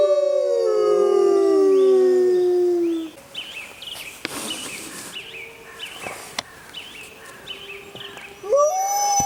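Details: Mackenzie Valley wolves howling: a loud howl falling in pitch over three seconds, then quieter short yelping notes and faint distant calls, ending with a fresh rising howl.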